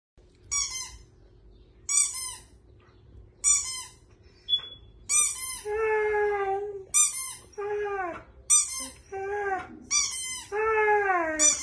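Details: A dog seems to talk as a woman plays with a squeaky toy in front of him: high, sharp toy squeaks repeat about every second, answered by drawn-out, wavering whiny moans that bend up and down.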